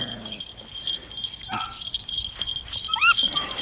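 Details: Six-week-old puppies wearing collars for the first time give high, rising whines that curve up and down near the end, over a steady high-pitched ringing tone and soft background rustling.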